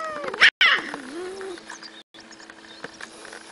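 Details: A domestic cat meows once, a tonal cry that slides steadily down in pitch over about a second after a sharp, loud burst at the start, then fades into low background hiss.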